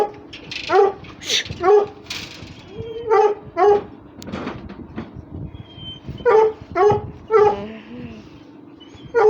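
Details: Russian Hound dogs playing and fighting: repeated short yelps and whines with sharp harmonic bursts, some rising, spaced about half a second to a second apart, with a whistle-like tone and faint background voices.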